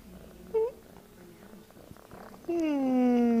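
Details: Tabby kitten giving a short high mew, then a longer drawn-out meow that slowly falls in pitch, with faint background noise between calls.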